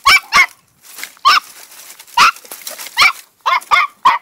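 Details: Female Podenco de Cuevas puppy, two months old, in a paddock, barks sharply and repeatedly, about eight high yappy barks in four seconds, spaced unevenly, some in quick pairs.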